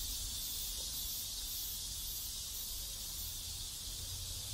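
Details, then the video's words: A continuous cicada chorus fills a South Korean neighborhood, a bright sizzling drone with no pauses and faint low background rumble beneath it. "South Korean Neighborhood Sounds Cicadas"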